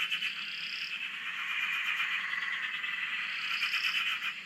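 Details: Frogs chorusing at a dam in Australia, heard from a shack: a dense, continuous pulsing trill fills the clip, with faint higher buzzy notes near its start and end, steady throughout.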